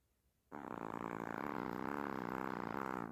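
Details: A loud, rasping snore from Hershel the Chihuahua asleep, one steady buzzing breath lasting over two seconds, starting abruptly after a brief silence, said to sound like a human snoring.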